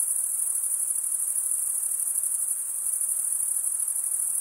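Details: Chirping crickets, produced by wing stridulation, make a continuous high shrill pulsing band with an even, unbroken rhythm and little other sound.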